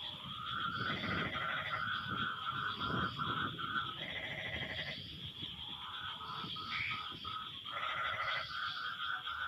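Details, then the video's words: Frogs calling back and forth after rain, with rapid pulsed croaks coming in close succession and overlapping one another. A continuous high insect-like tone and low noise fill the background. "Suara Kodok No Copyright sangat MERDU saling BERSAHUTAN"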